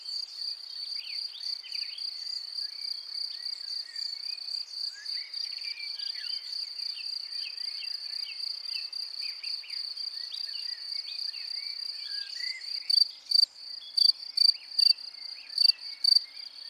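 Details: Field cricket at its burrow: a steady high ringing trill, then from about thirteen seconds loud separate chirps, roughly two per second, over soft whistled bird calls in the background.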